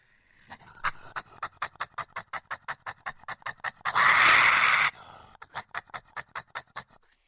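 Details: Aggressive badger: steady breathy huffs, roughly three per second, are interrupted midway by a loud, harsh one-second hiss, after which the rhythmic huffing resumes and fades out.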